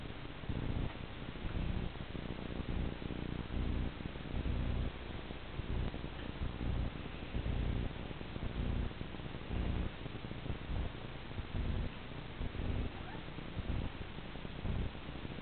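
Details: Domestic cat chasing a laser dot indoors; a low, continuous rumbling purr that swells and fades about once a second throughout, with no other clear sounds.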